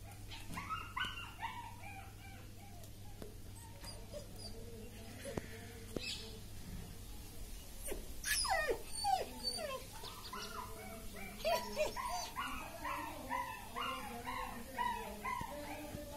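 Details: German Shepherd puppy, top-quality dog from a pet dealer, giving high whimpering and whining calls in short, irregular bursts, busier around the middle and end of the recording, with a low steady hum in the background.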